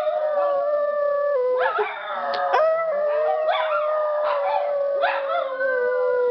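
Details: Several dogs, set off howling by their owners, howl together in long, wavering tones sliding up and down over one another.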